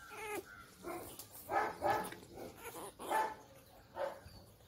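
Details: Day-old Labrador Retriever puppies feeding from their mother while bred at home, making soft, thin whimpers and squeaks, several short tonal cries in a row, quiet and close against a faint room hiss.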